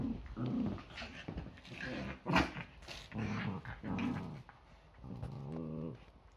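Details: Yorkshire Terrier growling while play fighting at home on a Sunday morning, as most days begin with several fights before breakfast. Low, rumbling growls come in bursts of about a second, five or six in quick succession, the last one tighter and more tonal.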